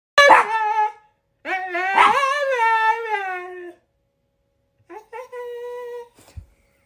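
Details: A Siberian husky learning to "sing" the Star Wars theme gives drawn-out, wavering howls that rise and fall, followed by a steadier held note.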